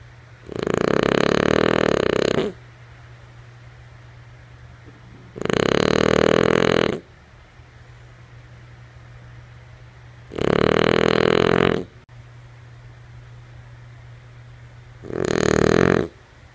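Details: A sleeping female French Bulldog snores indoors: four long, rough, broadband snoring breaths, each lasting about one and a half to two seconds and repeating roughly every five seconds, with quiet pauses and a steady low hum between them.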